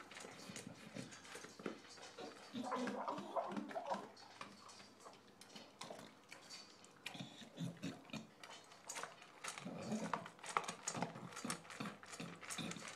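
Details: English bulldog named Shaft, recently adopted, eating dinner indoors: wet, snuffling chewing and smacking in irregular rapid bursts, with wheezy, asthmatic-sounding breaths and a person's voice asking if he is hungry.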